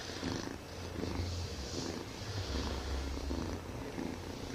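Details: A Siamese kitten purrs very loudly, a deep continuous rumble that swells and eases with each breath.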